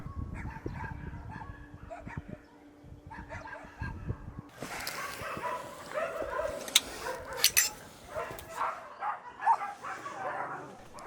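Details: Many shelter dogs in Paju, South Korea, including Jindo mixes, bark loudly and chaotically together in sharp, overlapping barks and yips, which mean they want to come a little closer to people.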